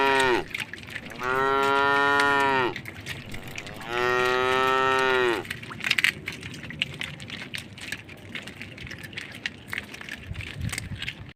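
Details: Cattle crossing a puddle on a road next to a forest, tame. Two long moos open the recording in quick succession, followed by several seconds of light rustling and scattered clicks with no further calling.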